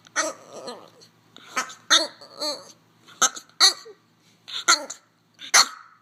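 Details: French Bulldog. A French Bulldog gives a run of peculiar vocal bursts: raspy snorts, wavering whines and throaty grumbles, each lasting under half a second. The noises come in irregular clusters with brief quiet gaps between them.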